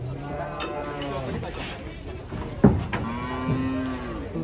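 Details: Agitated sacrificial cattle hesitating to be unloaded from a truck, 2024; a low steady moo, then a sharp thump and a longer wavering moo with clear harmonics, over background music and crowd noise.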